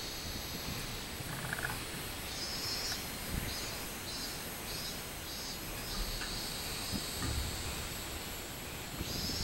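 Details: On 24 July 2016 a robust cicada gives a high, shrill buzzing song: a run of evenly spaced pulsed bursts that blends into a long continuous whine, with low traffic-like rumble and occasional knocks underneath.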